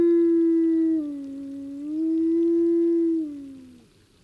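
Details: Wolf howling in the Glacier Bay wilderness: one long, smooth, pure-toned low howl that dips slightly, rises and holds steady, then slides downward and fades after about four seconds, with no other sounds.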